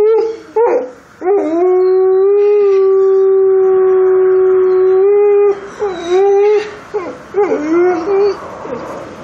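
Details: A grey wolf in Montana gives a long, steady, mid-pitched howl that breaks into wavering, sliding notes at the end.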